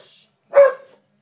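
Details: Heyoka the pet dog lets out a single harsh, shrill screaming yelp after spotting a cat, brief and loud against an otherwise quiet room.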